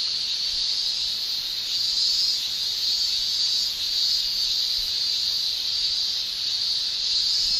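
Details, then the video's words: Japanese summer chorus of male cicadas, tymbals producing a steady high shrill that holds almost level throughout, pulsing only gently in loudness, nothing else clearly heard. "Japan Summer Cicada Shrilling"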